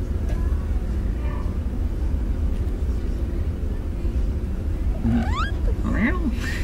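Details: A little black Bombay kitten at a pet store gives a brief, high, rising mew over a steady low background hum and a woman's voice.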